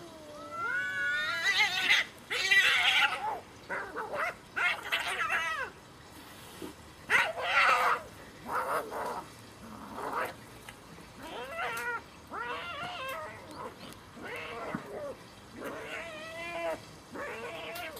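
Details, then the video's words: Cats in a fierce fight: long wavering yowls and caterwauls rising and falling in pitch, broken by harsh screeching bursts, many overlapping calls in quick succession over eighteen seconds. "fierce fight of cats"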